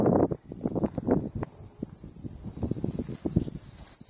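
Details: Unidentified insect calling in Beaver County, Oklahoma, on July 8, 2019: a steady, high, shrill drone with a brighter pulse about every half second, over low rustling and thumping noise.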